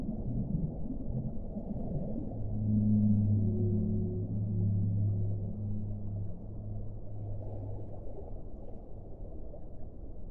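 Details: Deep whale moans, part of an hour of whale sound: a very low tone is held steadily for about three seconds with a softer higher voice above it, then thins away into a steady low background hum.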